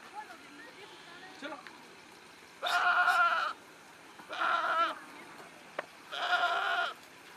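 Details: Three loud, strained bleats from goats on a goat farm in Nagaon, Assam, India. Each is a buzzy, quavering cry of about a second, spaced one to two seconds apart, over faint background talk.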